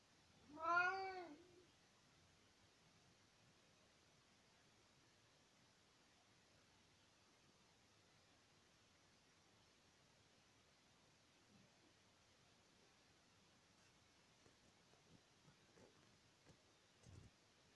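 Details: A tomcat speaking to his owner in spring 2020 gives one clear, rising-falling meow at the start. Faint rustles and small knocks follow in an otherwise quiet room.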